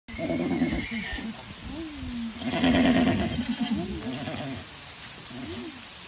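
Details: Shetland pony, a Scottish breed from the Shetland Isles, giving several short, low, nasal calls that rise and fall in pitch over six seconds, with a brief louder rushing burst near the third second.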